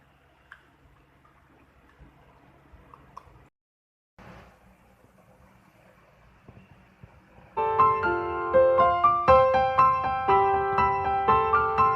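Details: Quiet room noise with a brief dropout gives way to bright piano music, and no animal sound is heard.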